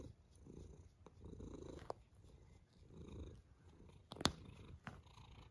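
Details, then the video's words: Cat snoring steadily, drawn-out rasping breaths repeating roughly every one and a half seconds, each a soft low rumble, with a brief sharp click near the end. "A snoring cat"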